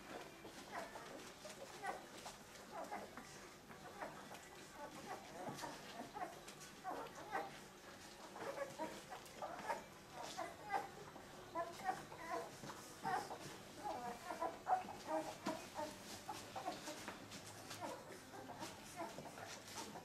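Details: Thirteen two-week-old puppies from Limit's litter, in their second week of life: a steady chorus of short, high, squeaky whimpers overlapping throughout, soft and busy, with no long pauses.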